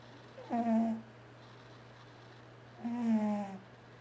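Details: Male domestic cat asleep indoors, snoring loudly and twitching while dreaming. Two drawn-out, voiced, tonal groans about two seconds apart, each lasting roughly half a second, with a steady low hum underneath in a quiet room.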